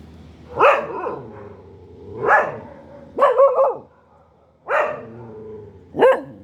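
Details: Dog barking steadily, five full-throated barks about every one and a half seconds, each with an arched, slightly falling tone; the middle one is a quick double bark. Low background hum.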